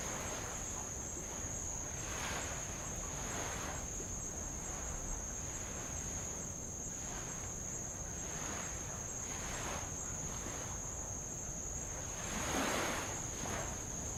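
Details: On Avalau island in Tonga, heard from a rowboat, insects keep up a constant high-pitched sizzling tone while light waves lap old lava in repeated soft surges, one louder splash near the end.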